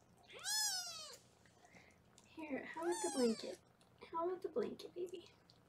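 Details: Foster kittens on a live kitten cam in Los Angeles, indoors while being weighed: one high, arching kitten meow opens, followed by a woman's voice overlapping further wavering mews.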